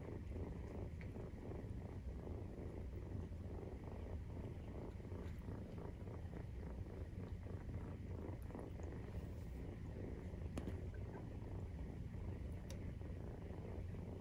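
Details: Nursing Maine Coon mother cat with kittens aged 43 days: a continuous low, rough purr rumbling steadily, slightly thinner than the first, with occasional faint ticks and rustles over the constant drone.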